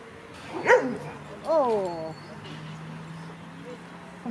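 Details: Two high, drawn-out yelps, the second sliding downward, while Franzi, a 16-week-old Kleiner Münsterländer puppy, plays with larger adult dogs; a steady low hum runs underneath.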